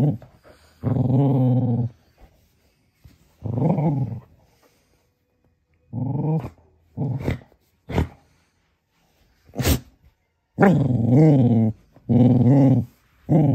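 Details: Young male Cocker Spaniel puppy, upset with his Baby Yoda toy, growls in low, rough bursts of about a second each, separated by pauses, with a few short sharp noises in between.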